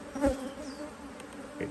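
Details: Honey bees in an Australian-designed Hive IQ beehive, opened in near mid-Autumn 2023 in Australia to add a box; a steady low droning hum with a fainter higher overtone, broken by a brief knock near the start.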